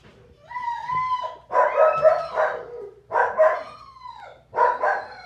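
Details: Three puppies of Sojou's litter, the Moxie Crew: Dotty wrestling with her sisters Rosa (grey) and Breeze (black and white). Clear whiny, harmonic yelps and whimpers come in four bursts, some notes sliding downward, with quiet gaps between.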